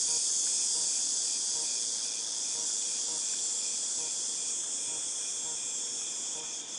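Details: A shrill, unbroken whine from cicadas recorded in August 2018, loudest at the start and slowly fading, with a faint pulsing undertone and a slight shift in pitch near the end.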